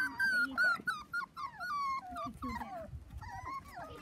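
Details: Young Dachshund puppies, four weeks old, romping on a trampoline with children; loud, clear, descending whines and yelps follow one another rapidly, each bending downward, with low thumps beneath.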